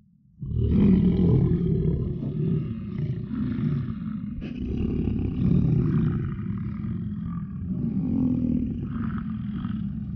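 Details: In Yellowstone, a bull American bison in rut roars a deep, gravelly bellow that starts abruptly and continues for around ten seconds, rising and falling in intensity.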